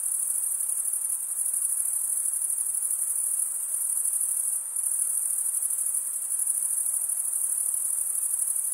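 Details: Crickets chirping, males producing the sound by stridulation: a continuous shrill band of fast, even pulses, briefly dipping once near the middle, then resuming unchanged. Nothing else heard beneath the trilling.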